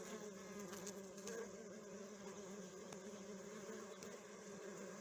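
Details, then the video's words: Honey bees at a hive, a dense steady hum with bands near 200 and 400–500 low tones, many wings droning together without pause, occasional faint clicks over the continuous buzz. "Healing Sounds Of The Humming Bees Hive"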